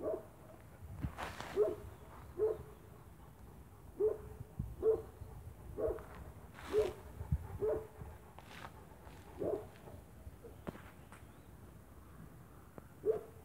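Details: Spanish Mastiff on a farm, recorded 1 October 2017, barking in a steady series: short, deep, harmonic barks about once a second, with a few brief pauses, over a faint rural background.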